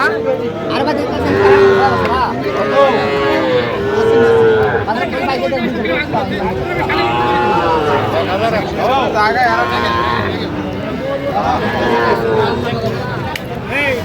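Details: Sahiwal bull calves, sold at a cattle market in Mymensingh, Bangladesh, on 11 October 2025, call in repeated bending moos, some sliding upward, with buyers and sellers chatting and talking nearby throughout.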